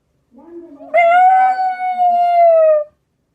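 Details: Black Shiba Inu howling in reaction to a passing junk collection truck: a soft low whine leads into one sustained, clear, slightly falling howl lasting about two seconds.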